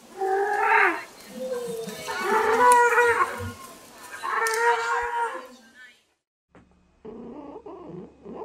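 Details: Cow mooing: three long, drawn-out, nasal moos, each lasting one to two seconds with a wavering rising-falling tone, followed by silence and then a brief different harmonic sound.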